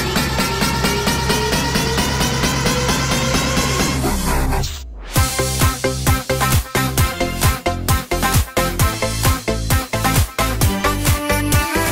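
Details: Loud electronic dance music with a steady beat, cutting out briefly near the middle before returning.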